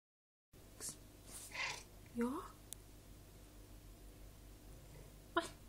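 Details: Talkative female Maine Coon cat after recovering from pneumonia: a brief upward-sliding chirping meow midway, with a few soft clicks and taps and a person speaking quietly in Swedish nearby.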